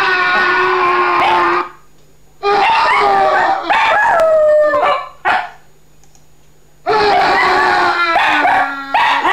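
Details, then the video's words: Dog howling along to sound effects, three loud bouts of sustained harmonic howling separated by near-silent pauses, the middle bout sliding downward in pitch before fading. "Funny Dog howling to sound effects"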